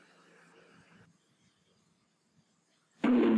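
Faint murmuring, a near-silent pause, then a sudden loud burst of voice or music at the end.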